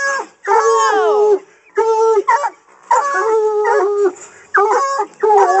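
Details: Coonhounds in hunting training bay at a caged raccoon; drawn-out harmonic howls, some sliding downward, break into bursts with short pauses between, overlapping voices suggesting several dogs.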